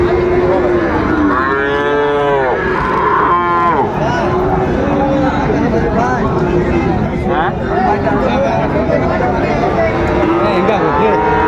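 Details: Bull calves of Friesian and cross breeds for sale at Raniganj market in Dinajpur, Bangladesh, 26 July 2024; repeated wavering moos, loudest around two to four seconds, layered over constant market crowd noise and chatter.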